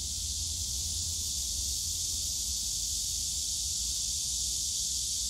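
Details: Steady summer drone of cicadas in the bamboo grove at Yongsan Family Park, a loud, even, airy high buzz without rhythm or gaps, backed by a dull low hum.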